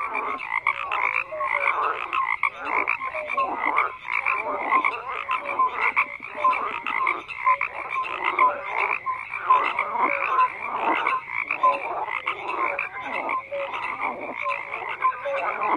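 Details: Continuous chorus of croaking frogs, raspy pulsed calls repeating rapidly and overlapping, loudness rippling up and down without a break.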